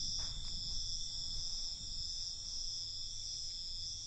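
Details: A dense, even chorus of crickets at night, shrill and continuous without pause, over a light low-frequency hum.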